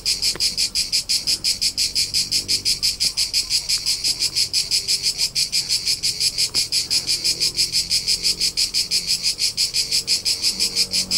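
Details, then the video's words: Crickets of central Italy's Tuscan countryside in summer, chirping nonstop. Shrill, regular pulses come close to three each second, evenly spaced, over a quiet low hum and a few faint distant ticks. "CRICKET SOUNDS for TINNITUS and RELAXATION : : Soothing Soundtrack of Cricket Noises"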